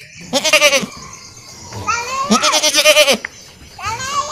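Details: Pair of goats, brother and sister, calling in bleats; a short one, then a longer cry that rises and falls in pitch, followed by a brief rising bleat, with light background chatter.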